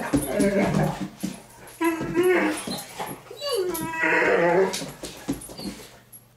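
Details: Two Great Danes, Milly and Izzy, playing indoors and taking over the house; wavering, harmonic grumbling whines rise and fall in two long bursts, with a person talking and faint music in the background.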